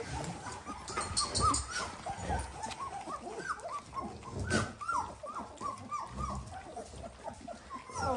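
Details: Litter of 18-day-old Dalmatian puppies squealing: dense overlapping chorus of short, high, arched squeaks and whimpers repeating rapidly throughout, with faint low background rumble.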